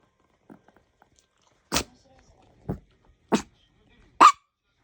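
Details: Chihuahua-Maltese mix pet dog begging for something, giving four short, sharp yipping barks spaced about a second apart in a quiet indoor setting, with faint soft noises before them.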